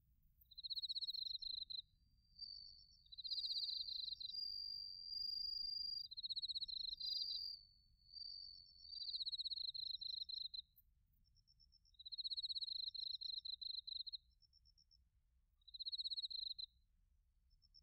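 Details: Autumn chorus of bell crickets and crickets from Narita, Chiba Prefecture, Japan, captured on a TASCAM Portacapture X8 recorder: high pulsed trills alternate with smoother ringing notes in repeated bursts, each lasting one to two seconds, over quiet low background noise.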